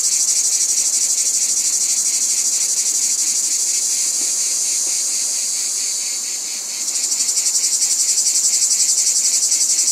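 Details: Shrill, continuous cicada chorus, a hissing drone beating in quick regular pulses. It dips and softens briefly near the seventh second, then surges back just as loud.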